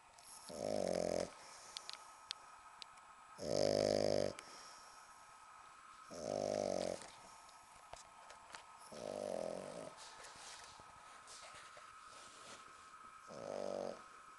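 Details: Female British Bulldog pup, ten weeks old, sound asleep on a sofa, snoring in loud harsh rattling bursts about every two and a half to three seconds, five snores heard over a faint electrical hum.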